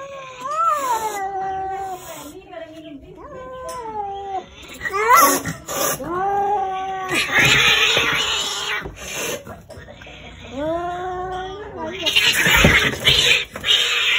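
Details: A neighbour's free-roaming cat, called very noisy, gives long wavering yowls that rise and fall in pitch. The yowls come in several drawn-out runs, with bursts of broadband noise and voices in between.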